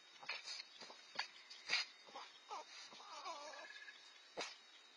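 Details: Two young red fox siblings, aged four to five months and now independent, compete over food. They give short wavering, whine-like calls between sharp clicks and scuffing noises against a steady hissing background.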